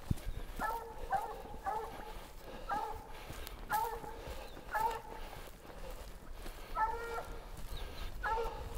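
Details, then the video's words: Black and Tan Coonhound named Rambler treeing a raccoon at a den tree outdoors; rather distant harmonic barks repeat roughly once a second in an uneven series over faint background rustle. "Rambler on a den tree, but coon is definately there!"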